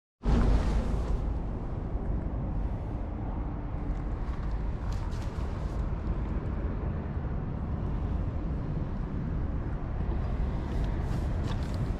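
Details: A heavy low rumble of wind or passing traffic starts abruptly and continues throughout, with no animal sound.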